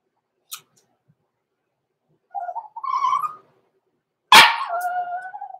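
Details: Six-week-old blenheim Cavalier King Charles Spaniel puppies, Roman and Blue, born November 14, 2022, overnight in the Red Barn Cavaliers puppy pen indoors: a wavering whine rising in pitch, then a sharp yelp that trails into a long, steady, tonal whine.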